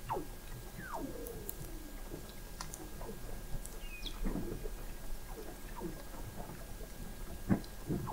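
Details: A Weddell seal (Leptonychotes weddellii) sings underwater beneath the sea ice in McMurdo Sound, Antarctica, in November 2017, recorded 21 m down: eerie descending whistles gliding high to low, with short chirps and low pulses.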